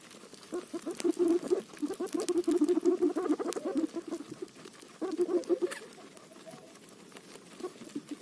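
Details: A guinea pig chewing roti makes dense runs of low, stuttering pulsed calls for about three seconds, then falls quiet before a second shorter burst. A few scattered later notes and sharp chewing clicks follow.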